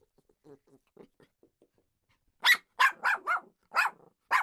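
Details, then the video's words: Jack Russell Terrier: a couple of seconds of faint soft huffs and sniffs, then six loud, sharp barks in an uneven run, some in close pairs. "Jack Russell Terrier Barking Sound Effect"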